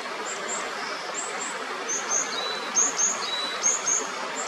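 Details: Several Kajika frogs on the upper Natori River in Sendai, Japan, trading thin, high whistled notes that rise and then glide down, repeated about once a second, over loud, steady rushing stream water.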